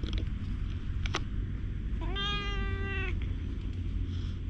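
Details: Affectionate black stray cat in Japan welcoming a person who followed it, captured with a GoPro HERO8; a single drawn-out, level meow of about one second, preceded by faint clicks, against steady low-frequency noise.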